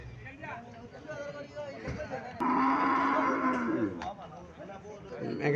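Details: Cattle at a market in Cumilla, Bangladesh, where a Friesian cow is shown with a Sahiwal bull calf: one long, steady, harmonic moo of about one and a half seconds rises over crowd chatter and market noise.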